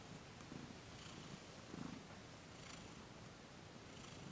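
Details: Domestic cat Thomas purring while being massaged in a Reiki session, December 2021; a quiet low rumbling purr in gentle pulses, with a brief louder swell near the middle and faint airy breaths.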